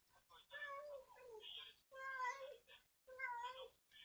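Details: Stray mother cat, fed by people since she was a tiny kitten, crying daily while searching for kittens lost on a heavy-rain day; three long wavering meows, each about a second, separated by brief pauses.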